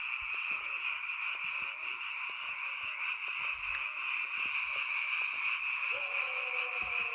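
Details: Frogs croaking together at night in a rural mountain area, a sound of this season only; a steady dense chorus with scattered clicks and thumps from footsteps as someone creeps closer.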